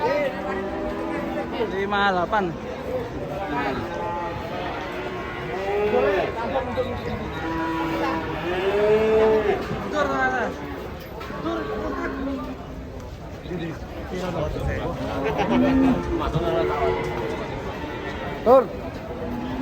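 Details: Several cattle in Indonesia low repeatedly in overlapping, wavering moos of middling pitch, with steady crowd chatter and voices throughout.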